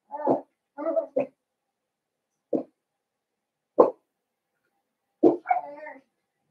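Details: Indoor pen of five young blenheim Cavalier King Charles Spaniel puppies born around New Year; short yips and whiny barks come in uneven bursts, a quick cluster at the start, then single yelps spaced a second or more apart.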